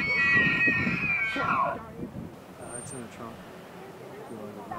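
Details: Bull elk bugling during the October 2011 rut at Rocky Mountain National Park, when big bulls gather herds of cows to breed; a high whistled call with a falling end opens the clip, followed by a man talking.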